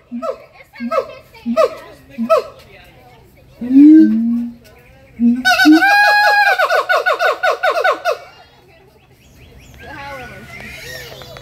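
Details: Siamang calling: a run of short rising whoops, then a loud swooping note. A fast, accelerating burst of sharp barking notes follows, fading into softer wavering sounds at the end.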